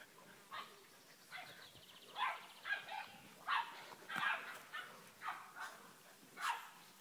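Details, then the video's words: Dogue de Bordeaux puppies, filmed in August 2013, giving short, high yapping barks in an irregular series of about a dozen bursts, each sharp and slightly harmonic, with quiet gaps between. "Chiots dogue de bordeaux"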